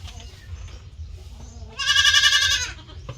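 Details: Farm-kept goat, one of a healthy herd, gives a single wavering, tremulous bleat of nearly a second after quiet low background murmur, ending with a faint short sound.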